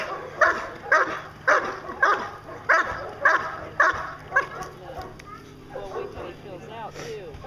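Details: A German Shepherd Dog of 14 months, Achilles vom Darland Haus, in Schutzhund protection training, gives steady, forceful barks about twice a second for four seconds before they fade into softer sounds.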